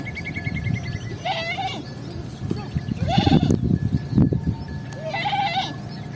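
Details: Sheep bleating: three wavering, nasal bleats roughly two seconds apart, each rising then falling, over a constant low rumble and scattered knocks.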